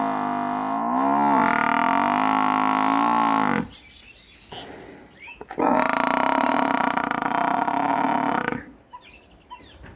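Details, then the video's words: Buffalo in a village bellowing twice in long, sustained, harmonically rich moans, the first about three and a half seconds and the second about three seconds, with brief rustling between them. "Village buffalo video"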